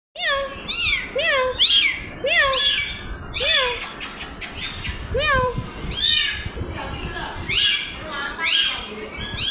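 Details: Mother cat carrying her kitten in her mouth, a rapid series of high, rising and falling meows, about one a second, with some overlapping voices and noise in the background.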